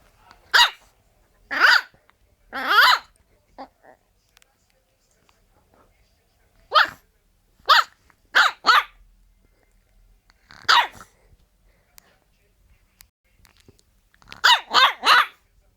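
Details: French Bulldog barking in irregular bursts: roughly fourteen harsh, raspy barks over sixteen seconds, some single, others in quick runs of two or three, with quiet gaps between.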